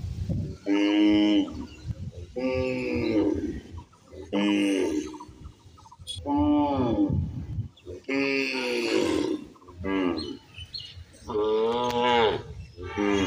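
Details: Cow and calf feeding in a field; a run of about eight short-to-medium moos, some rising then falling, spaced irregularly every one to two seconds, with rustling between calls.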